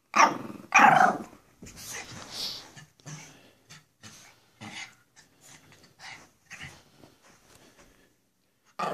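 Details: Goofy Pekapoms Stella, a small female, and Moose, a male, at play: loud snarling barks open, then a long run of gruff, choppy growls and huffs repeating roughly every half second, ending with another bark.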